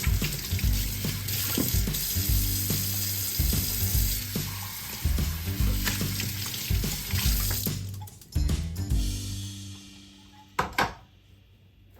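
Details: Background music with a steady low beat and splashing, tap-like water sounds, fading to near quiet with a few sharp clicks at the end.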